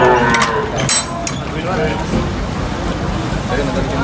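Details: A cow being unloaded from a truck at a market gives a short, harmonic moo at the very start, followed by a busy background of human voices, engine rumble and clattering noise.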